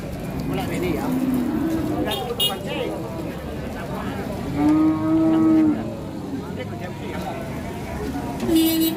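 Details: Angry cattle getting off a truck, so agitated a horn comes loose. Several drawn-out, harmonic moos: a short one near the start, a long steady bellow of over a second midway, another brief one at the end, over a constant noisy background.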